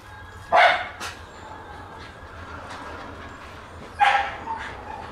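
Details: Black Shiba Inu female puppy, born June 18, giving two short sharp yips about three seconds apart, separated by faint whimpers and quiet indoor background.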